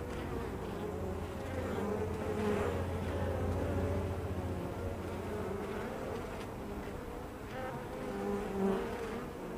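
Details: A hive entrance busy with honey bees. Their massed buzzing forms a constant wavering drone. A lower, even hum runs beneath it for the first few seconds, and individual bees' tones rise and fall as they pass close.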